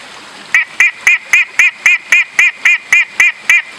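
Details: A long-nosed horned frog (Megophrys sp.) on Meratus Mountain, South Kalimantan, gives loud, nasal, honking notes repeated steadily, nearly four each second.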